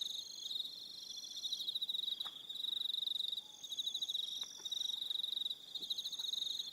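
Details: Evening cricket chorus from Aroha Island, New Zealand: shrill, fast-pulsed trills in bursts roughly every two seconds, several callers layered, with faint scattered clicks beneath.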